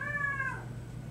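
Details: New puppy Harry, a female, calling in the middle of the night, March 2008; a single short high whine about half a second long, slightly falling at the end, over a steady low hum.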